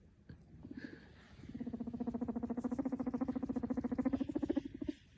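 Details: Young pet guinea pig popcorning and pushing toys under a Christmas tree gives a fast, buzzy, pulsing chatter holding steady for several seconds.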